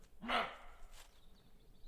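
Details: Roe deer barking at night in the Vosges forest, a call linked to the breeding season or alarm: one short, hoarse, harsh bark rings out, followed by quiet forest background.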